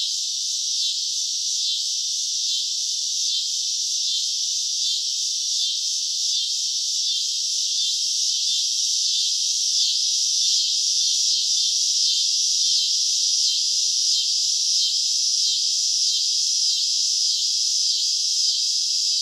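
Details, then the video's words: Cicadas calling on a summer night: a dense, high, shimmering buzz with faint rapid pulsing throughout, steady in loudness, with no other sounds. "CICADA SOUNDS - Sound Effect of Cicadas in Summer at Night - Sounds of Cicada (Chicharra, Campanero)"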